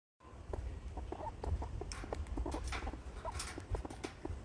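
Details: Squirrel with hiccups, eating and scolding at once: short, clipped tonal blips come at irregular intervals, mixed with crunchy chewing clicks and a low rumbling background.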